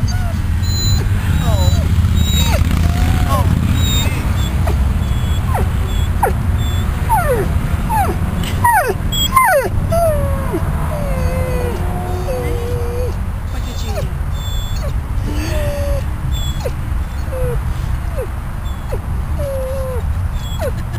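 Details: Riddick the dog whining outside on the grass at Bryanston Veterinary Hospital after leaving ICU, uncomfortable and probably hungry; many short high rising and falling whimpers, some drawn out, over a steady low rumble and human voices.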